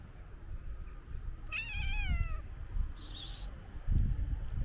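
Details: Stray white cat coming at a run toward a person outdoors, one clear drawn-out meow that starts high, wavers and slides gently downward, followed by a brief hiss-like burst and low thumping street rumble.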